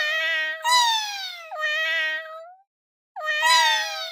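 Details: Insistent cat meows, long and continuous, with brighter, louder cries layered over a lower sustained tone that slowly drops in pitch, then a pause before another long, falling meow.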